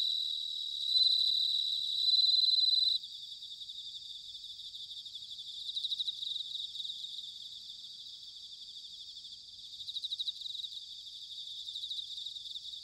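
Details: Autumn bell cricket chorus from Sanuki in Chiba, Japan: a steady bright high-pitched ringing, one loud pure tone held for about two seconds, then a quieter bed of rapid pulsed trills rising in bursts.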